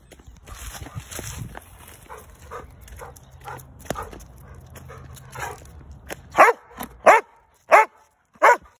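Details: Angry barking from a Giant Schnauzer over a squirrel, starting after about six seconds of low background noise and faint sounds, then four sharp barks spaced under a second apart near the end.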